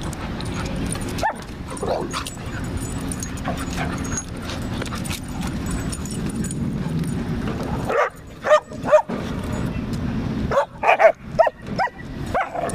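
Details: Playful German Shepherd puppy wrestling in an STL dog park: long stretch of low rumbling background noise, then a burst of quick, high yipping barks and whimpers in the final seconds, with human voices nearby.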